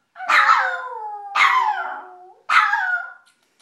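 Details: Domestic dog gives three long howls. Each starts as a loud bright yelp and then slides down into a drawn-out, falling tone. There is near silence between them.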